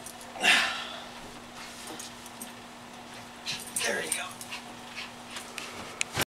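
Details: Schipperke named Bob, a house dog helping flip a futon indoors: one sharp, high yelp near the start, then quieter rustling, soft thumps and a brief human voice before the end.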